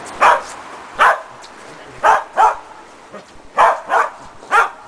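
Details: Shetland Sheepdog named Preston during agility box training with a jump grid, a running contacts foundation exercise: eight sharp, high barks in quick succession, about one every half second, with quiet pauses between.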